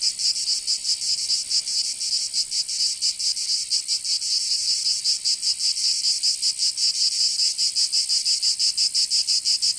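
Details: Summer cicada chorus in Provence, in the south of France, a continuous shrill high buzz with quick pulsing throbs running throughout, loud and unbroken, nothing else audible.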